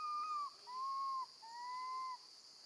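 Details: Baby female monkey left alone with her grandma, calling loudly for her mother: three clear, tonal, slightly falling wails, each about half a second or longer, with short pauses between them over a steady high background hum.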